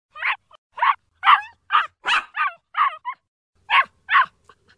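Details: Little puppy crying and barking: short, sharp yips and barks in quick irregular bursts, about ten in under five seconds, with a brief pause before the last two; otherwise quiet.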